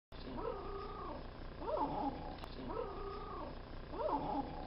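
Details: Pet dog giving a little howl, 'aruuu': four short wavering howls, each about a second long, rising then sliding down, repeated in quick succession over a faint steady background hum.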